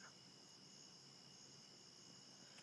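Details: Dense fog outside a bedroom window early in the morning, with crickets keeping up a constant, piercing high trill in layered bands and no pauses, over a quiet low rumble.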